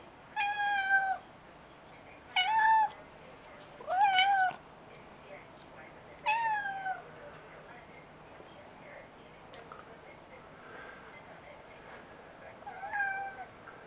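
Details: Pet cat talking in a quiet room: four clear, tonal meows spaced about two seconds apart, some bending downward at the end, then a pause and one softer meow near the close.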